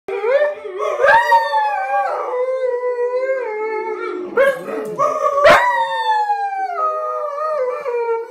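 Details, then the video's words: Puppies howling together in a wavering chorus of tonal, gliding howls, several voices overlapping and rising then sliding down, with brief sharp yips between. "My pups singing"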